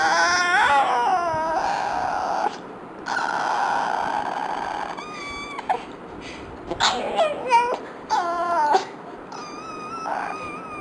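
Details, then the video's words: Dog in a room reacting with frustration to fart sounds: long steady hissing noise bursts, then a series of rising, wavering whimpers and a thin sustained whine toward the end. "Dog hates fart sounds"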